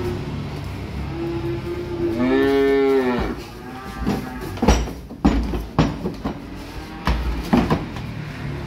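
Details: Young calves arriving off a truck: one drawn-out, harmonic moo of about a second, followed by irregular knocks and clattering thuds, likely hooves and handling noise.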